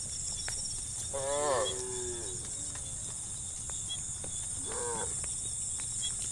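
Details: A herd of cows roams across green fields in sunlight in search of food; one gives a drawn-out, harmonic moo sliding downward, then a briefer moo seconds later, over a constant high-pitched buzz, probably insects.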